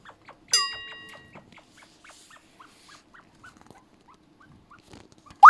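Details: Pet chinchilla at home, unusually loud at night and apparently in heat: one loud harmonic squeal, then a long run of short, soft chirps at a steady pace, ending in a sharp rising squeak.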